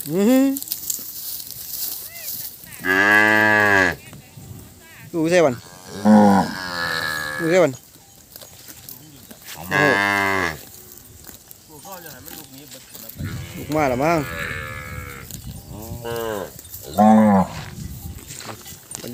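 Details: Calves separated from their mothers, crying together: repeated harmonic-rich bawls, some rising and falling, several in overlapping bursts across the clip, with background chatter.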